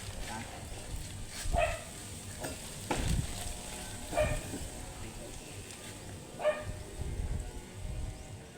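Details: Angry, matted Shih Tzu barking while being groomed: three short, sharp barks spaced a couple of seconds apart over a steady low hum and handling noises.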